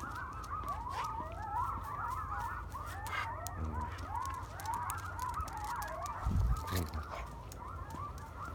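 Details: At night, a wild urban coyote pack sits uncomfortably close to a man walking his dog. The pack gives a chaotic chorus of wavering yips and quavering howls over a low rumble.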